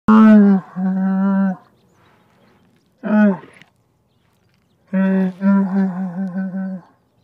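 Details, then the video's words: Camel grunting: three drawn-out, deep, moaning groans with a nasal buzz, the first and last about two seconds long, the last breaking into pulsing throbs, a shorter burst between, silence around them. "Animal sound, camel grunting"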